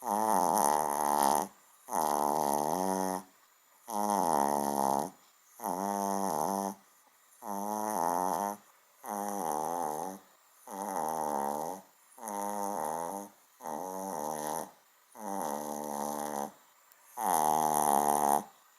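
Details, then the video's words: A small dog asleep indoors snores as loudly as a large one; harsh, buzzy snoring comes in regular bursts, roughly ten across the stretch, each about a second long with brief silences between. "kleiner Hund schnarcht wie gross"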